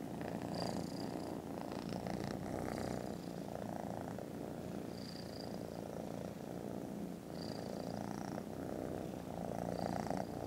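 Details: Contented foster kittens snoozing after lunch on Friday 18 December produce a deep, pulsing purr that swells and eases in waves, topped by short high chirps every few seconds.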